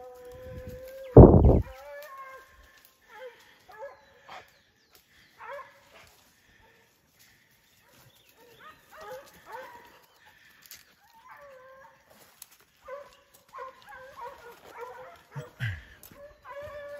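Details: Foxhound dogs at a kennel, including the old hound Faísca, giving scattered mid-pitched baying calls with short gaps between them, opening with one loud thump and some softer background noise.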